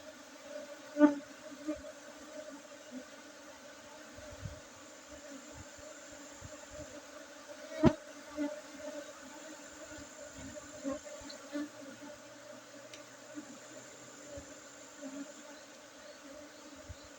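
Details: Honey bee colony droning steadily during harvest at a coffee-plantation apiary in Bener Meriah regency, Aceh, Indonesia, June 2023; the even hum continues under two sharp clicks, around one second and eight seconds, plus occasional light bumps.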